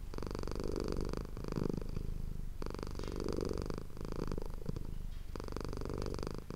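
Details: Indoor ASMR recording of the cat Manis purring: a grainy, low rumbling buzz in three long pulses, steady and close, nothing else audible.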